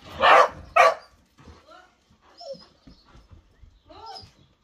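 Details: A whippet gives two sharp, loud barks in quick succession, then softer high whines and whimpers that rise and fall over the following seconds, with short quiet gaps between them.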